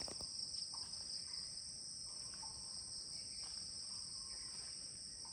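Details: Mid-morning cricket chorus at 10 a.m. at a Kulaura, Moulvibazar guest house: continuous piercing high trilling, with a few faint, short bird notes underneath.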